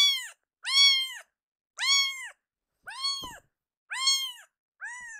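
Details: Loud, drawn-out meows from Akuro, a rescued baby kitten crying out indoors, six strong arched cries about one per second with a brief knock between them.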